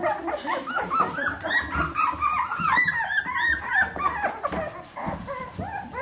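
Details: Bernese Mountain Dog puppies aged 14 days, a whole litter indoors, crying in a continuous crowded chorus of shrill whines and yelps that overlap, with a long drawn whine in the middle.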